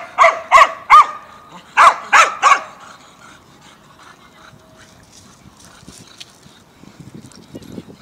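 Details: Mazovia dogs, 2021, barking: two quick triplets of loud barks open the recording, followed by quieter rustling and low background noise.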